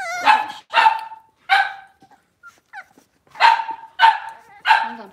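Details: Young blenheim Cavalier King Charles Spaniel in a home puppy pen with four littermates, born at New Year's: a burst of three quick high barks, a quiet pause with small squeaks, then three more barks in a row.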